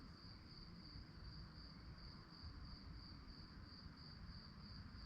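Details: Night-time crickets give a continuous shrill chirping in rapid even pulses, holding one high pitch throughout, while a deep steady rumble fills the background.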